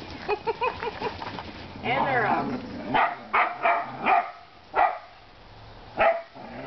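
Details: Whippets Chippy, Chase and Viola at play outdoors: a run of short yips, then a longer whining bark and several sharp separate barks spaced about a second apart, with a person's voice mixed in.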